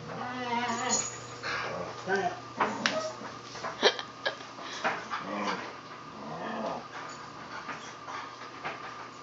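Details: Siberian Huskies playing with a puppy: drawn-out harmonic whining and howl-like vocal notes, some rising and falling, mixed with short yelps while a person speaks excitedly to the dogs throughout.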